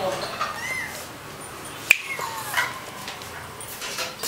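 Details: Kittens mewing softly: a few faint, short, curving cries rise and fall against a low background hiss, broken by a sharp click near the middle.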